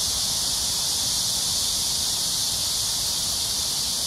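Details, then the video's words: Shrill cicada chorus at Amsa Ecological Park beside the Han River in Seoul, South Korea, between 6 and 7 p.m. on a hot July 26, 2021: a continuous, even, high-pitched droning buzz. "Cicada sounds/매미소리"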